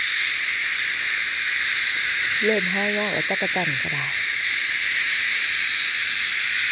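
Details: Cicadas keep up a dense, high, steady whine as a human voice speaks briefly in the middle, then the unbroken insect buzz continues alone.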